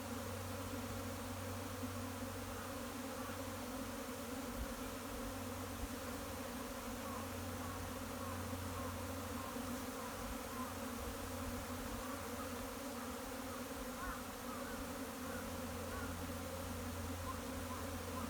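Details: Japanese honey bees swarming into a hive in spring, 15 April 2021, the colony arriving all at once around midday; a continuous deep buzzing drone runs evenly for the whole stretch with slight flutters in intensity.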